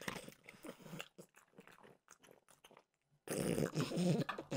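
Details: French bulldog Mimosa having a peanut butter dog treat; scattered soft crunches, a short silent gap, then a loud run of rapid chewing at the end.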